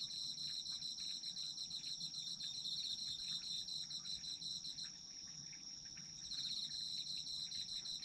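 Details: A chorus of autumn insects, one high continuous ringing note layered over fast pulsed trills that break off midway for about a second and a half, then return; soft low rumble beneath.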